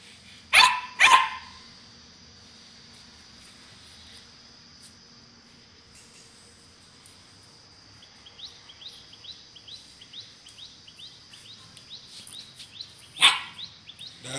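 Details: A 10-week-old pet Doberman Pinscher puppy gives two sharp, high barks in quick succession, then a third after a pause, with a string of soft squeaky yips in between.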